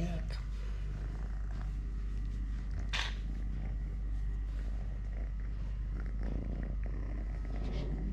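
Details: Deep rhythmic purring from Totoshka, a three-legged domestic cat, as he eats, plays, walks or fights a hand; the low pulsed rumble continues under quiet human speech and a short scratchy burst around the third second.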